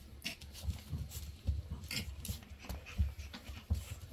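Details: Shih Tzu panting indoors, one of three Shih Tzu brothers; breathy puffs come in an uneven rhythm, roughly every half to three-quarters of a second, with soft low thumps beneath and faint hissing noise above.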